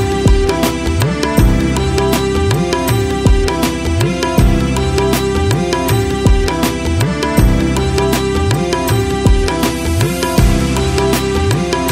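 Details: Loud rhythmic music with percussion and a sustained melodic tone plays throughout, with no animal sound.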